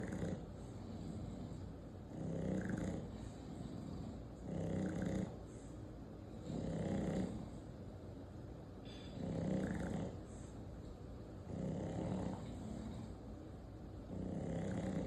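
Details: An 8-month-old English Bulldog snores in deep, rattling breaths that swell and fade about every two seconds.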